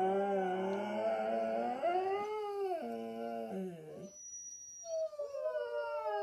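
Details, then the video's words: Siberian Huskies at home howling a low duet, one in a cone after thigh surgery; layered wavering howls with dipping, sliding pitch, a short pause near the end, then one voice resumes alone. "Husky singing a duet in baritone"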